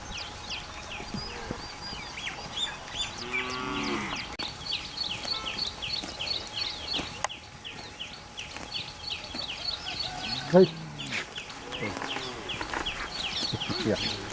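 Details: Cows walking into a mountain forest to graze give a few deep, drawn-out moos over a steady chorus of chirping songbirds.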